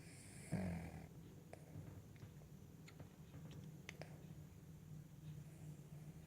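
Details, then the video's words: Sleeping Cavalier King Charles Spaniel resting on a lap lets out a short low snort, followed by steady faint low rumbling breathing and a few soft clicks. "Cavalier King Charles Spaniel Snoring on My Lap"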